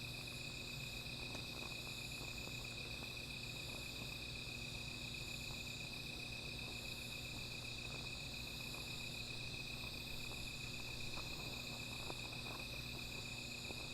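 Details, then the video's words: Insects calling at night beside a small fire: a steady, unbroken high-pitched ringing chorus in several layers, with a faint low hum underneath and scattered soft ticks. "Sound of Insects"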